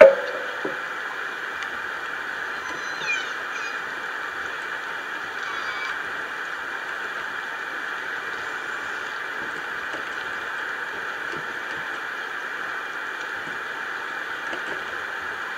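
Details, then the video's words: Orca calls picked up by the Lime Kiln hydrophone around 2 a.m. in June 2011, pod unknown: a short low tone opens, then high harmonic-rich whistled calls with rising and falling sweeps near three and six seconds over steady underwater hiss. "Orca Calls"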